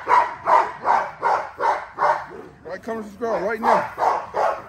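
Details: XL American Bully during its daily exercise: a fast run of about ten sharp, regular barks, roughly two and a half per second, broken midway by a brief wavering, whine-like sound.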